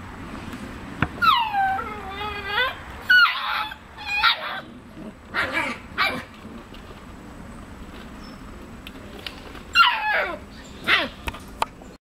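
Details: Nearly seven-week-old puppies in August 2015 whimper and yip: high, falling, tonal whines in quick clusters early on, short yelps after, a lull, then a final burst of descending whimpers near the end.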